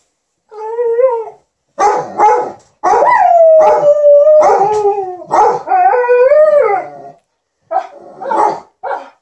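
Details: Indoors, Liza the Alaskan Malamute and TJ the Golden Retriever chatter to their ironing owner; short woo-woo yodels lead into a long, wavering howl, followed by more clipped talking calls.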